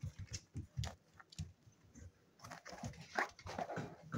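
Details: Seven-week-old spaniel pups at play, giving low, short grunting growls in quick bursts, with scuffling and soft rustling noises between them and a brief higher yip near the end.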